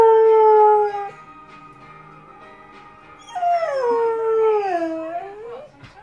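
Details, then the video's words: Dog howling along to the EastEnders theme tune: a long, steady, tonal howl, a pause while the music plays on, then a second howl that wavers and slides downward before fading, all over the tune. "My dog howling at Eastenders theme tune"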